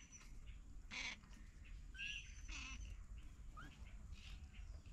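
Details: Three kittens with their caring mother cat in a house storeroom; brief high thin mews, one rising, between scratchy noise bursts, with faint bird chirps and low background rumble.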